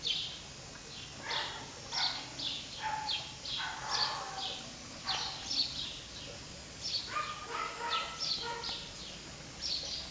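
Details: English Cocker Spaniel puppies, several together, giving high squeaky whimpers and short yelps that overlap and come in irregular bursts, some with a falling tone, across about ten seconds in a quiet room.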